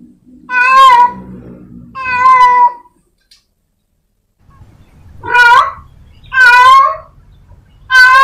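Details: A house cat calls at home with a series of long, strident meows, two early ones and three later, rising then tailing off, over a low rumbling background noise.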